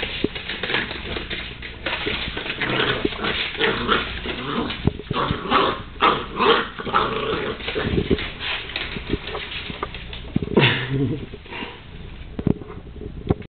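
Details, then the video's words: Female Wire Fox Terrier pup going after a broom, giving rough growly snarls and short bursts among scraping and knocking sounds, with a louder, tonal yelp-like burst near ten and a half seconds. "Wire Fox Terrier puppy attacking broom"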